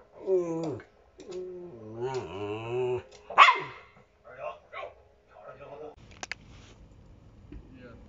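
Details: Yoyo, a pet Shiba Inu at home, gives drawn-out, wavering whiny vocalizations in three long bursts, then a sharp bark and a few short grunts, with a person speaking Chinese nearby.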